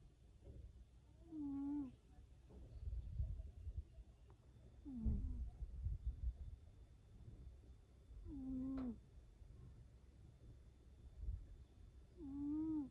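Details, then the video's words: A cat snoring: low, rumbling breaths, each ending in a short nasal, whistle-like tone that dips and wavers. The pattern repeats about every three to four seconds. "как храпит кот"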